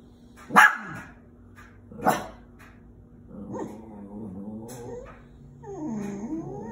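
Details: Half Chihuahua, half Terrier pet dog barking at squirrels: two sharp, loud barks about one and a half seconds apart, followed by lower, wavering whining and growling tones.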